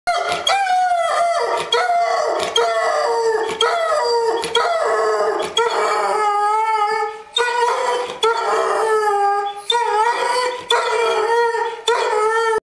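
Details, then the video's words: Dog howling on the Fourth of July, a long series of loud, sustained tonal howls with rich harmonics, each held one to two seconds with slight wavering pitch and brief breaks between breaths. "Bolt Howl"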